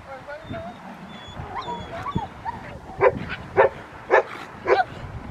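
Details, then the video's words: Rottweiler barking during schutzhund protection training: four loud, sharp barks about half a second apart in the second half. Before them come a man's voice, whistled bird notes and other field noises. "Rottweiler schutzhund protection training"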